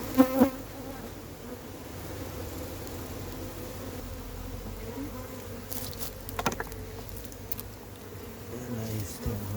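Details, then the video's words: Honey bees of a massive wild hive hum steadily and evenly while the hive is caught, a continuous low drone with a brief voice at the start and faint clicks and bumps near the end. "Catching a massive Honey Bee hive."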